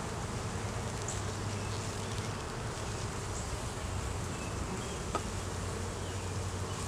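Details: Honey bees humming steadily inside an opened hive during a beeyard inspection, recorded on a Canon Rebel T6 DSLR; a dense, even, low drone holds throughout with faint higher chirps at times and no speech.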